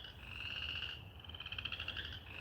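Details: Frog chorus of shrill, rapidly pulsed trills, several voices overlapping into a steady ringing over a faint low rumble, croaking on without pause even while a person talks nearby; recorded around 20 February 2020.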